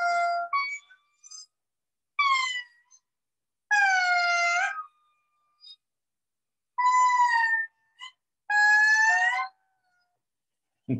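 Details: An endangered indri in Madagascar gives long, mournful, wailing notes that slide and waver, a territorial call.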